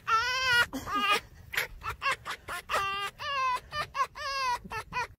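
A fox gives a rapid run of whiny, wavering yelps and chattering notes that sound like giggling laughter.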